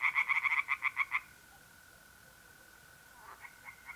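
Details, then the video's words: Tree frogs at a pond in North-East Italy on an April night: a quick run of about ten pulsed croaks lasts just over a second. Then comes a steady mole cricket trill, with a few faint distant croaks at the close. "relaxing singing tree frogs in pond"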